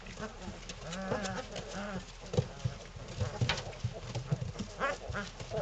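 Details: Three-week-old Belgian Malinois puppies, a litter playing together, a growly bunch; low rumbling growls and small whines overlap continuously, with soft squeaky yelps and scuffling throughout.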